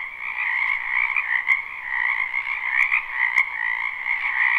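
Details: Spring wetland frogs croaking en masse, live recording: an unbroken wall of trilling calls swelling and easing slightly, a few sharp clicks punctuating the steady chorus.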